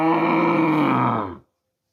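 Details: A cow gives a single loud, deep, drawn-out moo of about one and a half seconds, strongly harmonic and groaning, holding level before fading abruptly into silence.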